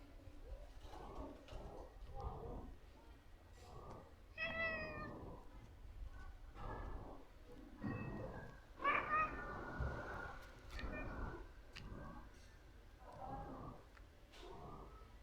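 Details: A cute cat circling close around a person meows again and again: brief tonal cries with bright overtones, one sharper drawn-out meow midway, over low rustling and handling noise.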